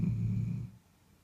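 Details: Frakass, a Bull Terrier in deep sleep, lets out one short, low, rough snore lasting under a second. It fades quickly into quiet breathing.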